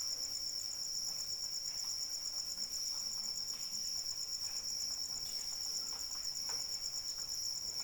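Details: Shrill pulsing trill of a cricket carries on steadily beneath falling rain, with intermittent drop clicks and a soft hiss of rainfall.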